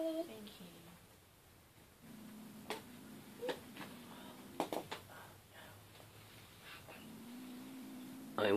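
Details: Male kitten growling over his pink toy, guarding it from people in 2014; a low, steady rumbling growl holds for about five seconds indoors, with speech at the start and scattered clicks and knocks.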